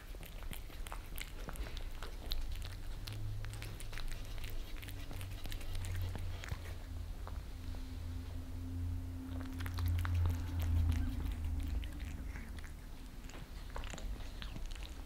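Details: Two pet cats, Lissy the Maine Coon and Fritz the British Shorthair, lick favorite creamy treats off a glass table indoors in Germany; rapid wet clicks and smacks tick along several per second over a steady low room hum.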